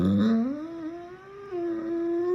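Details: Goliath the Dogo Argentino, yawning and trying to talk, produces a long vocal moan that starts low, rises into a sustained tonal whine, dips, then holds steady before ending abruptly in a quiet room.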